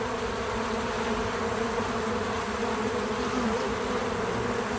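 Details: Bees visiting a feeder, recorded with natural sound and no music or narration: a steady, dense hum of many wingbeats with low droning tones holding level throughout, no breaks.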